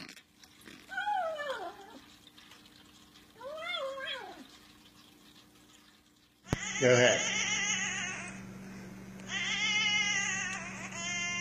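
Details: Domestic cat making weird meow noises: two separate arched meows, each rising then falling, about two seconds apart, followed by a sudden louder stretch of harsh, noisy sound.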